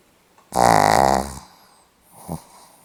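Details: Pomeranian dog snoring indoors, recorded 8 November 2015: one loud, rough, harmonic-rich snore lasting under a second, followed by a softer, shorter snort-like breath after a pause.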